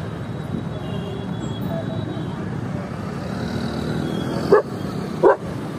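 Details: German Shepherd (Canis lupus familiaris), bark.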